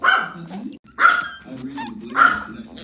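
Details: Pomeranian twins playing together, not fighting, comparing who has the bigger mouth; three sharp, bright barks and yips about one second apart, with softer growly vocal sounds between them, recorded indoors.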